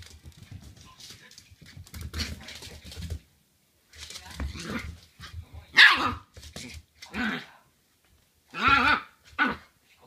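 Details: Shiba Inu puppy barking wildly at its owner's feet right after the owner arrives home, as if angry at the foot odour; rustling and scuffling early, then several loud high barks and yaps separated by brief silences.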